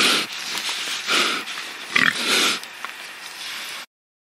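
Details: Domestic pig making a handful of short, rough oinking grunts over about four seconds, spaced irregularly, then the sound cuts to silence.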